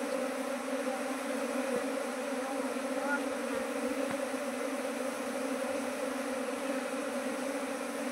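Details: Asian honey bees at hives in a small apiary that grew to 19 colonies. A constant droning hum with a steady pitch carries throughout, with faint clicks and knocks here and there.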